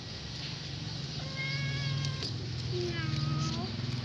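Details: Hungry kitten crying nonstop and begging for food: two drawn-out, harmonic meows, the first steady and the second falling at the end, over a low constant hum and faint background noise.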